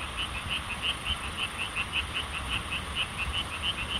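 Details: Frogs calling in a chorus in Korea: a steady stream of rapid, high, pulsing notes, several per second, with a constant hiss in the background.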